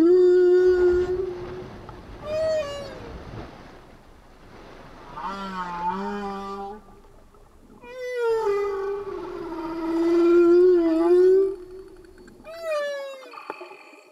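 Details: Singing humpback whales recorded underwater: a sequence of varied tonal units, low moaning notes near the bottom, rising and falling whoops and upswept cries, with short gaps between phrases and no music.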